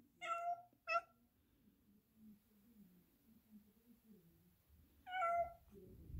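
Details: Black Persian cat indoors that doesn't want to stay inside the house, meowing: two short harmonic meows in quick succession, a low murmur of speech in the middle, then a longer meow near the end.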